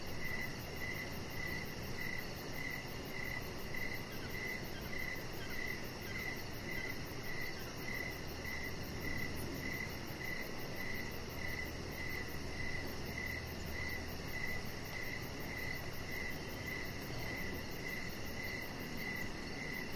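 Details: Crickets chirping outside in the evening beside a deck where a chihuahua puppy lies, short bright pulses repeating roughly every half second for the full stretch over a soft steady hiss and a low hum.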